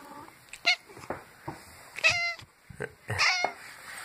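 A domestic cat gives several short, bright meows, answering a person's voice.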